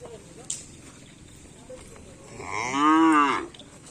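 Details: Karapan sapi bull-race cattle: one loud moo about a second long that rises then falls, heard after a quiet stretch with faint background noise and a brief click.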